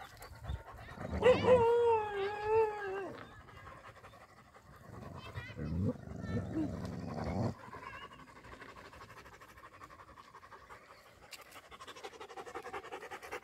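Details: Dogs fighting over a female on a road: one long, wavering, high whine-howl held for about two seconds, then snarling and panting noise, with a sharp hiss of traffic or wind later.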